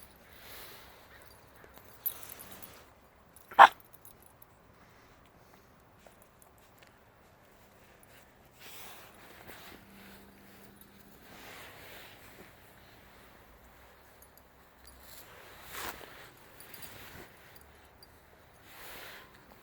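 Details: Five-week-old Shiba Inu puppies playing outside alongside adult Shibas; one sharp, high yelp rings out early, a few fainter squeaks follow, with soft rustling, scuffling and long quiet gaps between.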